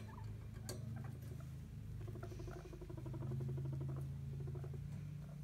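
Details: Skinny guinea pig rumble strutting, a dominance display that can precede a fight; deep continuous rumble with a rapid pulsed vibrating burst in the middle, a brief sharp click near the start.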